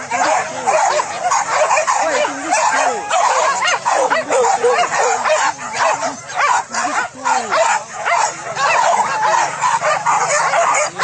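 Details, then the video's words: Hunting dogs chasing wild boar pests in fields at Solok, West Sumatra, Indonesia, barking and yelping together continuously in an excited pack chorus, with frequent overlapping yips and some human voices in the background. "Boar hunting, Rally dog at fields in Solok Sumatera Barat Indonesia"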